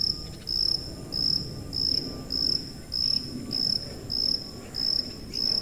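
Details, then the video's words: High-pitched cricket chirping: sharp, bright pulses of even length and pitch recur at a steady pace, about ten in under six seconds, above a faint, muffled low rumble. "고주파_귀뚜라미3 / High-Frequency_Cricket3"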